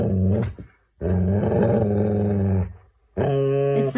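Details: Pet Siberian Husky indoors giving three drawn-out, growly, harmonic vocal bursts, each roughly a second or more long and separated by brief pauses, a grumbling howl-like talk with some background music.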